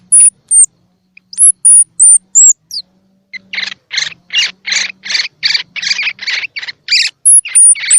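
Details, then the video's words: Calls of a baby squirrel, meant to encourage young squirrels with eyes open or not yet open to eat: a string of piercing thin whistled squeaks, then a steady train of harsh chirps, with whistles returning at the end. "Tiếng Kêu Của Sóc Baby Kích Thích Sóc Ăn | Sound of Baby Squirrel"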